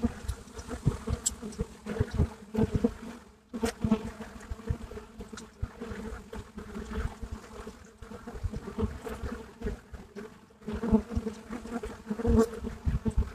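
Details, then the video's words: Buckfast honeybees filmed live at the hive entrance in Brittany, France: a steady low humming drone of many wings with brief louder buzzes as individual bees pass close. "Abeilles buckfast à l'entrée de la ruche"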